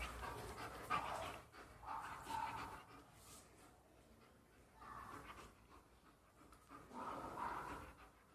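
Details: A German Shepherd dog playing at home pants in rhythmic bursts of breathy rasping, loudest around one, two, five and seven seconds, with quiet pauses between.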